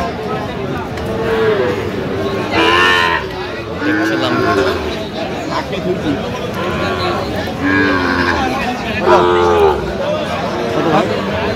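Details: Sahiwal bull calves for sale at a Cox's Bazar livestock market, Bangladesh, 8 November: short nasal moos repeated every couple of seconds, mixed with men talking and bargaining nearby.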